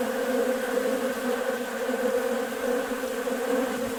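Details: Honey bees gathered in numbers at a sugar-water bucket feeder on a warm day; an even, thick buzzing drone holding steady pitch bands from start to end.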